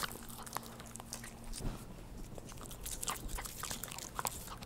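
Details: A household dog licking up churu treats indoors, filmed as no-talking ASMR; dense irregular wet clicks and smacks, a few sharper crunch-like ticks, over a faint constant low electrical hum.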